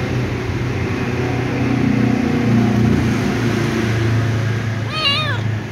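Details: Ginger kitten whining for dry food. A single short, wavering meow arrives near the end after several seconds of steady low droning hum.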